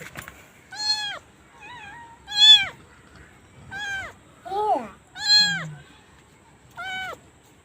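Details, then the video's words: Domestic cat meowing, one of a set of cats and kittens: six loud, clear, drawn-out meows, each rising then falling, spaced about a second apart, with a short softer mew and a low grunt between them. "Funny Cats and Kittens Meowing Compilation 2021"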